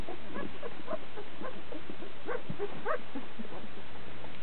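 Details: Great Pyrenees x Karakachan puppies, 13 days old, racing to the teats to nurse; a busy litter of short squeaky squeals and whines overlapping rapidly, with a low steady hum underneath.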